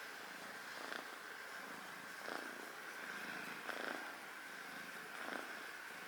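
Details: Rescued kitten, adopted as a foster, sleeping indoors with its face hidden; soft breathy purring swells in slow pulses about every second and a half over a steady background hum.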